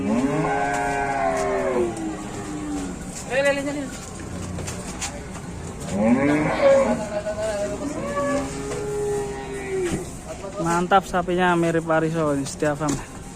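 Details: Leaving its pen at Setia Farm in Indonesia, a cow resembling Wariso gives several deep, drawn-out moos, sliding downward at the opening and again near the end, between stretches of men talking nearby.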